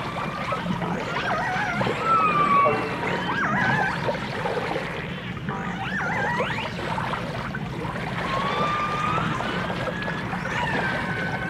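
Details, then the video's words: Dolphin and orca sounds from a 1989 stereo recording: many overlapping whistles, some long and level, others quickly rising or bending, over a low watery murmur and faint clicking. "The Enchanting Sounds Of Dolphin Song (Dolphins & Orcas)"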